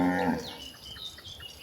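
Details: Cattle roaming toward a very wide pasture; a short, low harmonic moo ends within the first half-second, then fades into quiet background.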